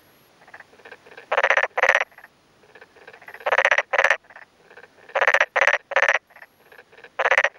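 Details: Daytime chorus of male black-spotted pond frogs, calling with both cheek vocal sacs inflated, in a newly flooded rice paddy in rural Yamaguchi, Japan, May 2011; loud pulsed croaks in quick pairs and triplets, with fainter answering calls from another male between them.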